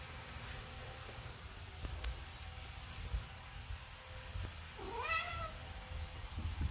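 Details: Pet domestic cat, indoors, while its owner tries to get it to watch bird videos: one drawn-out meow near the end, rising then falling, over steady low rumbling background noise with faint clicks.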